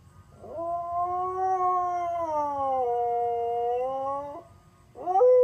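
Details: Sonny the Siberian Husky howls intermittently while an ice cream truck circles the neighbourhood; a drawn-out, mournful howl rising slightly then stepping down in pitch, a short pause, then a fresh howl beginning.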